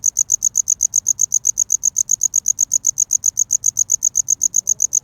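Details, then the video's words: Courting cricket, seen close up, calling to woo a mate: bright, shrill chirps pulse rapidly at roughly six a second in an even rhythm over a quiet, low background rumble. "Real Cricket Chirping Sound｜Cricket Noise"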